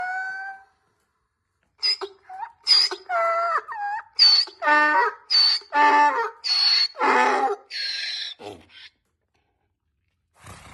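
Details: Donkeys braying: after a brief opening sound and a pause, a run of about a dozen harsh, harmonic honking bursts follows, roughly two per second, alternating higher and lower in pitch before trailing off.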